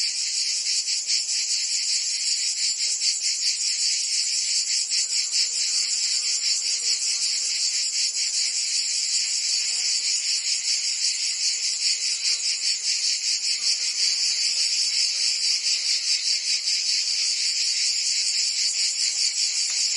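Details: Cicadas singing in summer in Provence, France: a dense, continuous high buzzing chorus with a fast pulsing throb, steady and loud throughout, with a faint lower murmur of other sound beneath.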